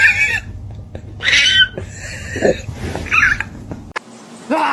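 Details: Kitten giving several short, high meows scattered over a few seconds, some wavering in pitch, over a steady low hum and room noise, with a final rising meow at the end.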